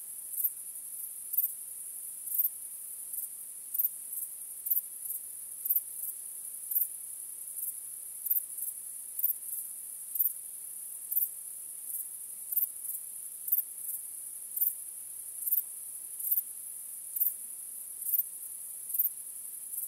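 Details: A starry-night cricket chorus makes a constant piercing high trill, punctuated by evenly spaced louder chirps roughly every half second to second. No other sounds.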